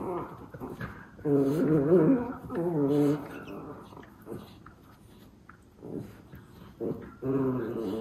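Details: Two Miniature Schnauzer brothers playing indoors after eating, waiting for their owner to wake; low harmonic growling grumbles in bursts of one to two seconds, with quieter pauses and a few soft scuffles between.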